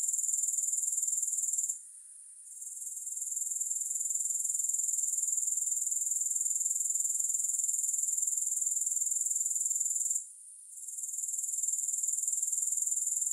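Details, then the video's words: Grasshopper chorus of shrill, evenly pulsed high buzzing, around four pulses a second, broken by two short quiet gaps before picking up again; no other sounds. "3 Hours of Grass Hopper Sounds"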